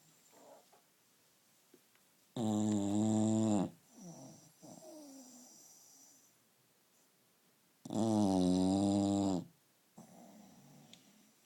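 An English Bulldog snores loudly, with long rasping breaths repeated several seconds apart.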